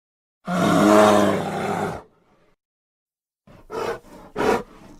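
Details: A grizzly bear at Grizzly Park gives a deep, drawn-out roar, then two short huffing grunts after a pause, in an edited recording.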